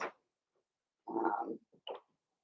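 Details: Blenheim Cavalier King Charles Spaniel puppies in a home puppy pen, from a litter of five born at New Year. A brief yelp, then a half-second rough, harmonic yapping bark and two short squeaky yips in a quiet indoor room.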